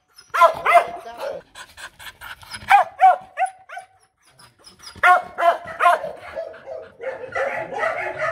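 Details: Vietnamese Mong Coc bitch giving demanding, non-aggressive barks in uneven clusters: a quick run of yaps, scattered single barks, a silent gap, then another volley fading into softer, higher yips at the end.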